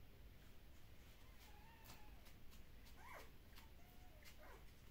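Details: Kumi's puppies at a Dutch breeder, undergoing an early neurological stimulation session, let out faint, short whimpers: a thin drawn tone, then a quick rising yelp and a brief squeak amid clicking handling sounds.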